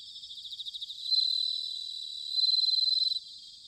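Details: Bell cricket in autumn, recorded in Sanuki, Chiba, Japan: a close insect opens with quick repeated chirping strokes that build into two bright, sustained ringing trills, set against a quieter high chorus of other crickets.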